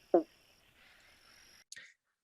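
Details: An eastern banjo frog (Limnodynastes dumerilii) of southeastern Australia, a spring and autumn breeder, gives a single short, hollow 'bonk' like a plucked banjo string, less deep than the giant banjo frog: its advertisement call.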